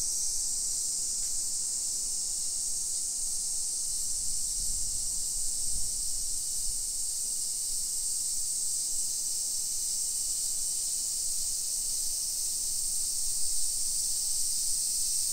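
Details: Constant high, hissing drone of summer cicadas along hillside residential streets in Nisshin near Nagoya, Japan, 1 PM, 28 July 2021, with a few low thumps and bumps around the fifth and sixth seconds.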